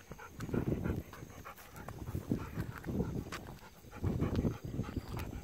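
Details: Golden Retriever on an evening walk, asking for persimmons not yet ripe; rhythmic breathy panting in bursts, loud low huffs every second or so, with outdoor rustling and footsteps.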